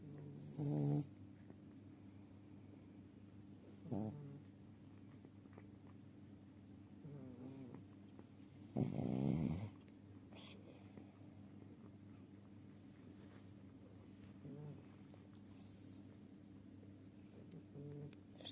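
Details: Sleeping Chihuahua snoring indoors: a steady low droning hum with occasional louder snorting bursts, the strongest about a third of the way in, and a few softer snuffles spread across the recording.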